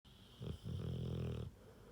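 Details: Rottweiler snoring indoors: one low, rumbling snore lasting about a second, preceded by a short grunting breath, with quiet room background.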